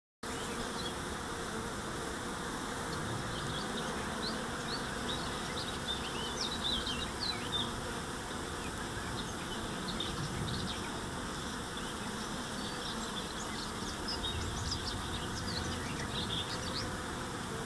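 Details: Honey bees on foraging flight on 4 May 2013, as the main nectar flow slowly begins despite drought and cool to cold nights; a dense, steady humming drone fills the air while small high bird chirps flicker above it.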